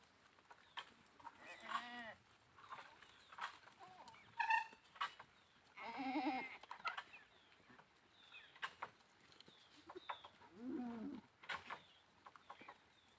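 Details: Goats bleating: several loud, wavering, harmonic bleats with a nasal tremble, near two, four and a half, six and eleven seconds, separated by quieter gaps with sharp clicks and knocks in the background.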